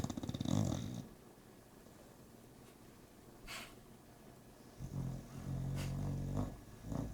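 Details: Sleeping bulldog snoring indoors, a short gravelly snore at the start, then a long quiet pause with faint breaths, followed by a sustained rumbling, rattling snore and a final snort.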